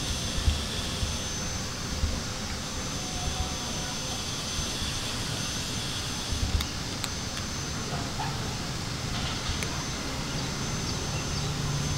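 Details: Broad outdoor noise like a distant engine or aircraft rumble, with faint clicks and no animal calls.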